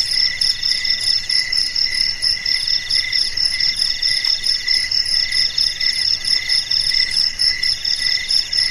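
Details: Night chorus of crickets: dense, ringing high-pitched trills layered in bands, pulsing in gentle waves of loudness, continuous throughout with a quiet background.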